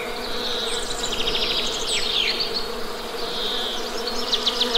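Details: Low honey bee buzzing holds steady underneath high twittering bird calls and fast trilled phrases.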